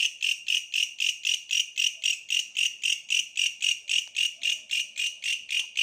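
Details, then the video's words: Bush cricket calling with a steady train of harsh, buzzy pulses, about four per second, each a short rasping burst with a strong high ringing band; very even rhythm and no other clear sounds. "suara asli bellalang pohon"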